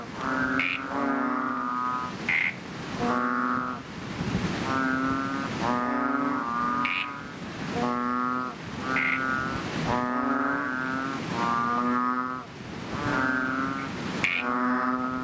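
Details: A chorus of chubby frogs in a fishpond just after rain, giving loud, deep, harmonic moans that follow each other every second or two and overlap, each often starting with a short, higher bleat.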